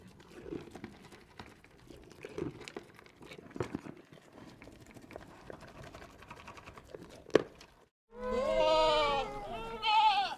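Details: After eight seconds of low, murmuring background noise on a mountain goat farm, a baby goat breaks in with two loud, wavering bleats close by.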